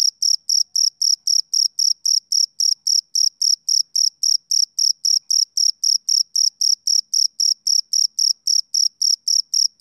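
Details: Steady, piercing chirping of a male cricket on a summer evening: dozens of identical short pulses in fast even rhythm, no other sound present.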